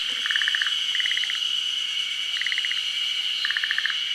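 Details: Forest green tree frog, Japan's endemic tree-nesting species, calling at a daytime spawning during the rainy season. Four short rattling bursts of fast pulses, each under half a second, stand out against a constant shrill insect hum.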